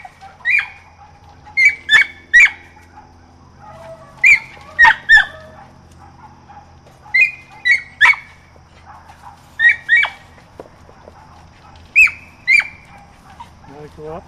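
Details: Squirrel training with Rosie, a 4½-month-old mountain feist: spaced-out pairs of high, ringing yelps every couple of seconds, quieter than elsewhere, over a droning low background hum.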